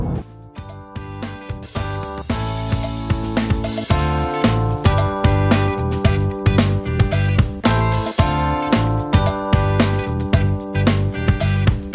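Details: Upbeat guitar-led background music with a steady beat plays throughout, with no animal sounds.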